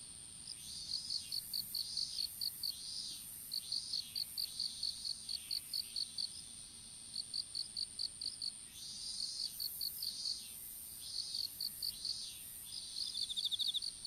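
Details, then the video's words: Insect calls from an open strawberry field at planting time, phone dropped among the seedlings; repeated bursts of rapid high chirps separated by short pauses, a second fainter trilling caller joining near the end. "虫の鳴き声in いちご畑"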